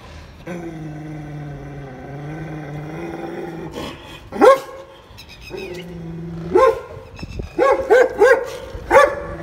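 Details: German Shepherd dog barking: after several seconds of steady droning tones, single sharp barks come, then a quick run of four barks near the end, each short and punchy.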